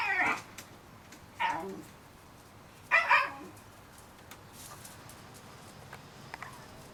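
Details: Three short, bright squeaks from 30-day-old Shiba Inu pups, each about two seconds apart, the last one doubled, followed by faint soft peeps over a quiet background.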